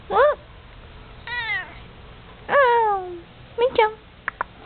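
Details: Domestic cat that is falling asleep gives a series of short, separate meows, some rising and some falling, with quiet gaps between them and a couple of tiny chirps at the end.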